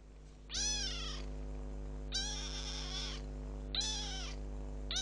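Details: Kitten ten days after adoption meowing three times, each call a loud arched harmonic cry about a second long, spaced roughly every one and a half seconds, over a steady low background hum.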